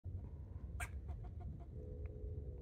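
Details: A squirrel barking while jumping from tree to tree: one sharp, harsh chuck stands out, followed by several fainter short clicks, over a steady low rumble of background noise.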